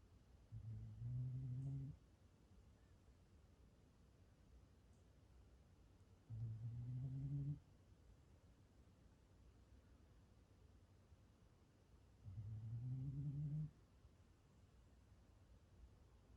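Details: Gon-chan, a black Shiba Inu pet dog, snoring while asleep at home on 9 May 2020: three low, droning snores about two seconds long, spaced roughly every five to six seconds, with quiet breathing between.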